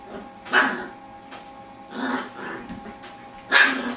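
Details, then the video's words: Playing with a lazy beagle, a Jack Russell terrier puppy gives three sharp, squeaky yip-whines about a second and a half apart, each a brief nasal burst. "jack russell puppy making weird noises"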